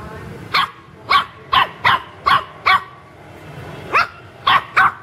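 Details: Puppies at play in a home garden, giving sharp high yapping barks in quick bursts, about ten in five seconds, with a short pause between groups.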